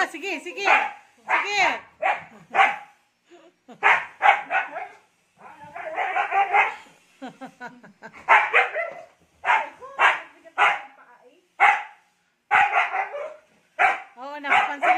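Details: Ice, a Siberian Husky acting hyper after a bath, lets out a long run of rough, breathy barks and grumbly yips in clusters every second or so, some ending in a short whining yodel, with a person's voice now and then.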